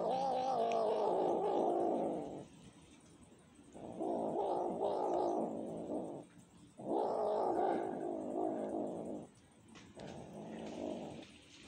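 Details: Cat pleading for food with a series of four long plaintive yowls, each lasting one to two and a half seconds, spaced by short quiet gaps, the tone droning and mournful.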